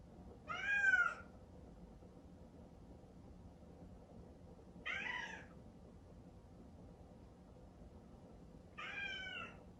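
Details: A cream Exotic Shorthair kitten named Chatoran, born 15 April 2019, calls out indoors in the early morning, longing to see its sleeping owner in a separate bedroom. Three plaintive meows come about four seconds apart over a quiet room.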